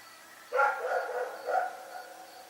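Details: Rex, a dog, barking at night: a single drawn-out bark with a second weaker pulse about a second later, harmonics stacked in the midrange, over a faint steady background hum.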